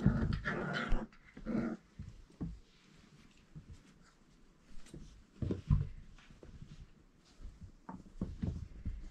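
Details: Four-week-old Irish Setter puppies indoors in a small room: a burst of rough little growls and panting in the first two seconds, then scattered short snuffles, yips and rustling at intervals.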